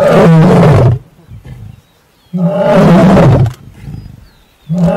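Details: Lion in the Masai Mara during mating: deep, harsh roaring bursts about a second long, separated by short quiet gaps, with low grunting between bouts.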